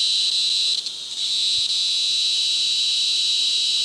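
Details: Yellow-spotted black cicada, a 34 mm cicada found in China, Myanmar, Sri Lanka and India. It gives a steady, high, hissing buzz that holds level throughout, with a brief dip in loudness near the start.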